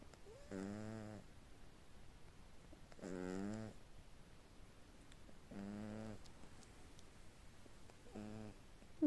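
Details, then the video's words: Little sleeping cat gives four rasping, buzzy snores, each lasting under a second and coming roughly every two and a half seconds, with near-silence in the gaps. "Кошка храпит во сне"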